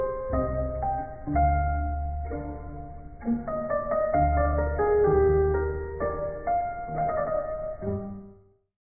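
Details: Gentle piano music plays throughout, with sustained chords and a slow melody. No animal sounds are present.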